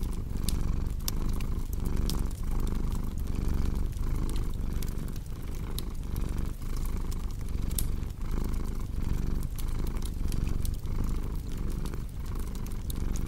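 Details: Cozy fireside cat purr for relaxation and sleep: a thick low-pitched rumble pulsing in regular breath cycles roughly every second, with bright crackles and occasional louder pops from the fireplace.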